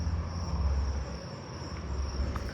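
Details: Columbian trigs calling from a tree in a backyard neighbourhood on a July night give a thin, steady, high-pitched trill without a break over a low rumble, amid many southeastern field crickets.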